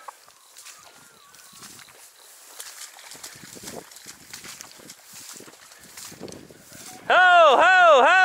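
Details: Dachshund on a driven fox hunt in Victoria, 23/10/2022. A short, loud burst of wavering, arched baying near the end follows quiet rustling and faint outdoor background.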